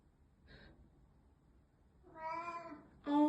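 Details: Mieko, a sensitive black cat, meowing indoors while missing a housemate who moved out days earlier; a faint chirp, then a long drawn-out harmonic meow and the start of a louder second cry.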